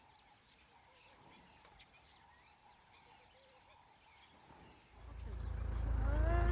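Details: Elephant in South Luangwa National Park, Zambia, recorded 9 July 2017: a steady insect hum and scattered bird notes give way near the end to a sudden loud, deep rumble with rising harmonic overtones.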